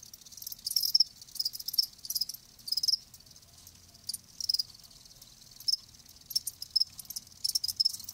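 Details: Live crickets making natural sound: short high, shrill chirp bursts in irregular clusters, some pulses every half second or so, faint low rumble beneath.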